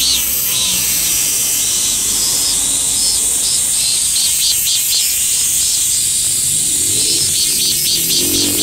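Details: Hyalessa maculaticollis, the min-min cicada, singing, sped up twofold for comparison with a bear cicada; a loud, shrill, continuous buzz with rhythmic pulsing swells layered over a faint lower hum.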